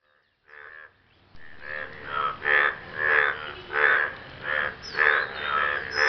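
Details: Frogs after rain, calling to impress a partner: after a brief quiet start, a run of about eight hoarse, buzzy croaks with rich harmonics, each roughly half a second long and coming in steady succession.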